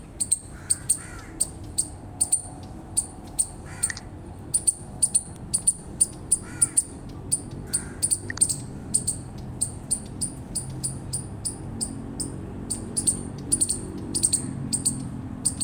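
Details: Rapid series of shrill chips from an eastern chipmunk, around two per second and somewhat irregular, with occasional brief lower sounds mixed in and a steady low rumble underneath.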